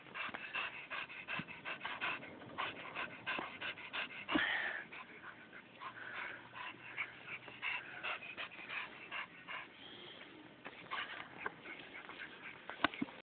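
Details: Chow chow panting, rapid breathy puffs repeated several times per second, steady throughout with one brief whine-like squeak midway.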